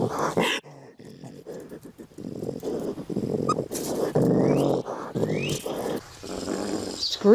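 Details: A raccoon gives harsh, rasping growls broken by short rising squeals, a sound given when in danger, with a voice talking over it.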